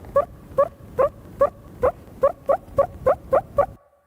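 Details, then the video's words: Meerkat terrestrial alarm call given to a predator quite far away: a series of about ten short, harsh, nasal barks, repeated roughly every half second and slightly quickening toward the end, then silence. "is an example of a terrestrial alarm call given to a predator quite far away,"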